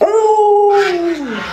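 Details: Alaskan Malamute, a much-loved household pet, holding one clear, sustained howl that stays level and then slides gently downward, with a brief noise at the start.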